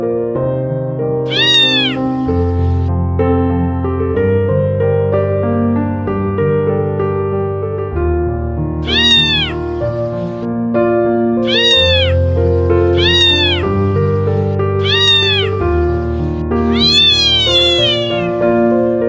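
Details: Tiny stray kitten crying desperately beside a trash can; loud, rising-then-falling meows come in bursts every few seconds, some doubled, over steady piano music playing throughout.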